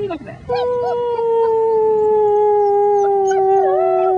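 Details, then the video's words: Six-week-old German Shepherd puppies howling together with a human companion: a long, sustained, slowly falling tone with rich overtones, with short wavering notes near the start and end. "German Shepherd puppies sing the blues"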